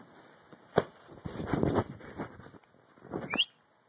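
A Bull Terrier puppy yawns, breathy huffs ending in a thin, rising squeak.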